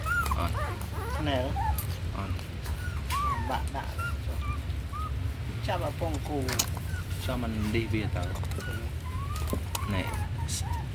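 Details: Puppy being raised on milk powder, whimpering over and over: high, arched whining cries, some wavering, coming in quick bursts over a steady low hum, with occasional clicks and knocks.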